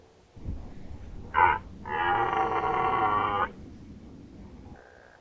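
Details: Red deer stag roaring in the 2019 rut at Nationalpark Unteres Odertal. A brief loud bark-like burst is followed by a strong, rich, drawn-out roar of about one and a half seconds, then a faint distant call.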